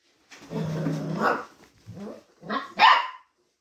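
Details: Mixed-breed retriever puppy giving a low, rough growling bark, a weaker grunt, then a sharp higher yap to finish.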